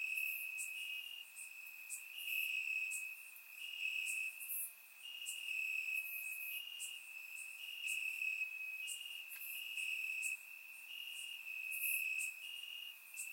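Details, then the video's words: Night chorus of crickets chirping in grass on a warm summer evening in Bulgaria, surround-miked; unbroken shrill trilling from many callers, rhythmic pulses of louder chirps roughly every second, nothing else audible. "Cricket Sounds - Crickets Chirping at Night"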